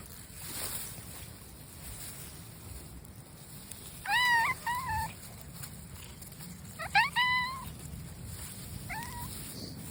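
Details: Stray brown tabby cat outside giving bursts of short, wavering, rising meows, a pair near the middle and a quick cluster later, then a single softer call, with wind noise underneath.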